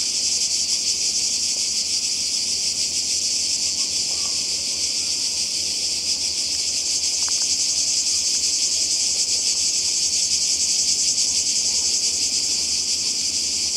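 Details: By the sea in Croatia in summer, cicadas keep up a constant shrill buzzing drone, with a few faint clicks and a low background rumble.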